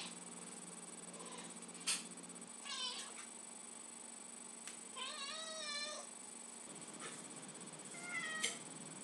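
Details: Pet cat indoors, extremely vocal when it hears the can opener and smells tuna, asking for some: three drawn-out wavering meows spaced a few seconds apart over a steady background hiss.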